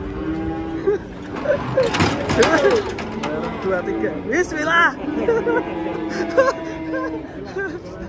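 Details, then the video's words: Sacrificial cow rampaging as it is unloaded from a truck, giving long loud harmonic moos, some rising and bending, amid excited shouting men and background engine noise. "SAPI KURBAN NGAMUK TURUN DARI TRUK GANAS"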